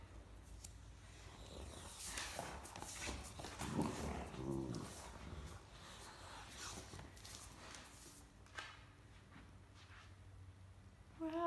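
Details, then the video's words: Great Dane puppy complaining during indoor play with an older Great Dane over a shared stuffed toy; low, rough, harmonic grumbles swelling around the middle, with scuffling paws, rustling and a woman's voice. "Talkative Puppy and Great Dane Want the Same Stuffed Toy"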